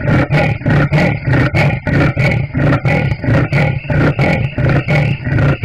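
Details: Rapid, regular rasping strokes from a leopard, about two per second, each a coarse grunting pulse, forming a continuous engine-like sawing rhythm.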